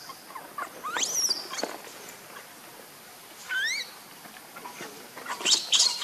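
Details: Baby monkey after a fall, giving high, thin squealing cries that sweep sharply up then down, two clear wavering calls about two and a half seconds apart over a soft rustling background.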